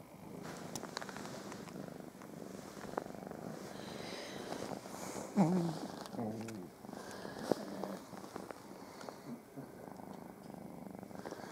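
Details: In the morning, just waking up, a domestic cat lying on its owner purrs steadily, a low rumbling vibration, with faint rustling and snoring pugs nearby.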